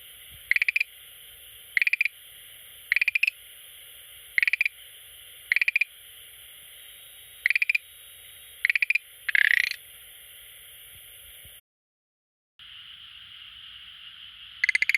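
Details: Schlegel's green tree frog visiting an aquarium daily gives short pulsed rattling calls about every second, one longer louder burst near the end, then a brief silent gap before calling resumes.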